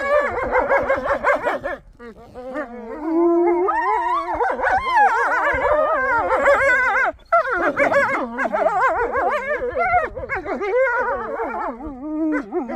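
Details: Wolves at Polar Park zoo in Norway howling in chorus: several overlapping wavering voices, rising and falling continuously, with brief pauses near two and seven seconds.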